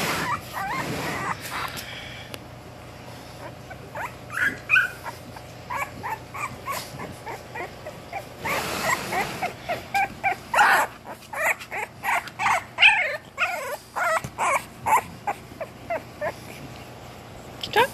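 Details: English Bulldog puppies, 20 days old, giving a busy series of short high whimpers and yips, many rising-falling squeaks repeated about every half second through the second half, over steady room hum.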